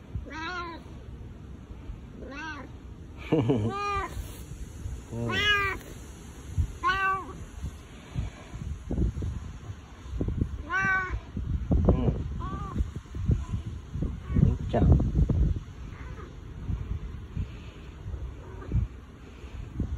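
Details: Boss cat Bu-chan, a domestic cat, behaves unusually affectionately, uttering husky meows when no other cats are nearby; several arched meows in the first half, then rustling and handling noises with occasional quieter calls.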